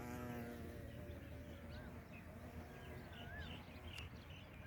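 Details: A wild bumblebee in North India gives a low, droning hum as it passes by, fading over a steady rumble with faint bird chirps.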